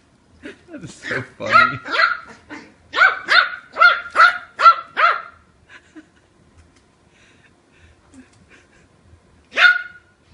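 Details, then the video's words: Kiwi, an 8-week-old female Yorkshire Terrier puppy, wrestling with her new brother and sister: a quick run of high, sharp yappy barks in two bursts, then a pause and one final yap. "Mouthy Yorkie puppy with attitude"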